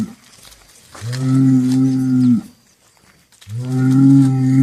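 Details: Two deep, level moos from cattle, each a steady low drone of over a second, separated by a short quiet gap.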